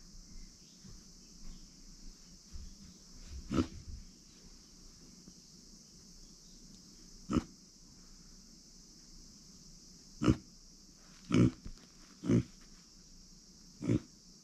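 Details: Female micro pig, kept as a pet, born September 2020, giving short low grunts scattered through the passage, single or in quick pairs, over a steady high-pitched hum.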